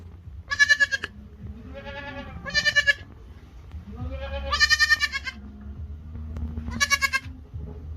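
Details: Goats bleating to call the herd: several quavering, nasal bleats of differing pitch, some overlapping, spaced about a second or two apart over a low background rumble.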